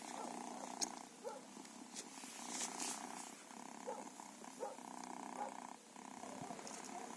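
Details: Feral cats purring, a soft rhythmic hum in drawn-out pulses of about a second separated by short pauses, with faint clicks and rustling in the background.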